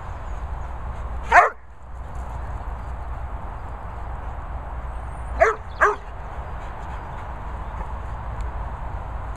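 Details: Springer spaniel and Airedale Terrier at dog training and boarding kennels in Worcestershire countryside; one sharp bark, then a quick pair of barks about four seconds later, over a low steady background hum.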